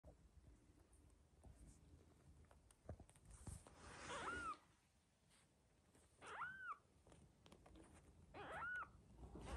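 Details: Two-week-old male colour point British Shorthair kitten giving three short, high, arched mews, about two seconds apart, against faint background rustling and noise.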